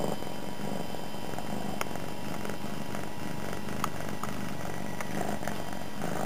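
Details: Domestic cat, a female recently taken in, lying on the floor indoors near a person at a computer and purring loudly: a steady, low, continuous rumbling purr with even pulsing throughout, over a faint background hum.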